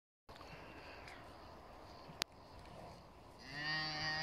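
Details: Pinzgauer cattle in a kraal with a new calf in South Africa; after a few seconds of outdoor background noise and a sharp click, a low, resonant moo begins and holds steady to the end.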